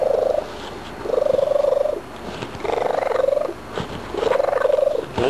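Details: Graybeard, a pet cat, chatters after a few treats with four warbling, pulsed mid-pitched calls, each about a second long and spaced by short gaps. The steady rhythm is punctuated by faint clicks.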